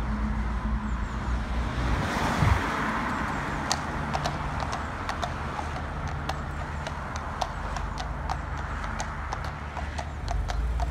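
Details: Friesian mare hacking out, described as bomb proof; sharp hoof clops on a hard surface, several per second and fairly even, while a vehicle rumbles past early on amid steady low outdoor noise.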